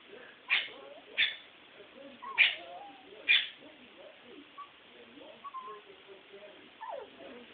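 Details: Female Toy Poodle named Sugar, in heat and wanting her stud: four sharp, high yelps in the first three and a half seconds, followed by softer scattered whines and faint indoor background sounds.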